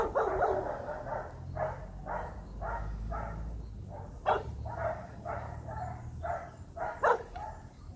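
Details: Rottweiler puppies being trained for high-performance guard work bark in a rapid steady series, roughly two to three barks per second, over a low rumbling background.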